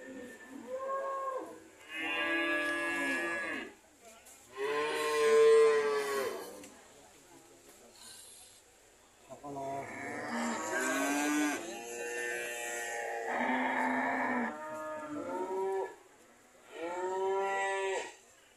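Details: ['Cattle belonging to an old man, struggling to sell, moo again and again, with loud harmonic lowing calls in bursts separated by short pauses and several voices overlapping midway.']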